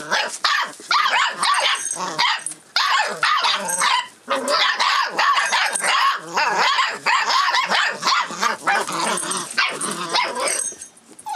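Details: Rough Collie puppy, 44 days old, filmed on 25 February 2012 while reacting keenly to changes around it; dense overlapping high yips and squeaky barks pour out almost nonstop, with brief pauses near two and four seconds.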